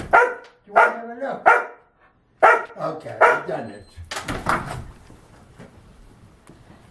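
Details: Two indoor pet dogs bark after eating, demanding to be let out to look at the deck; several sharp, high yapping barks in short bursts, then a muffled scuffling noise as the barking stops.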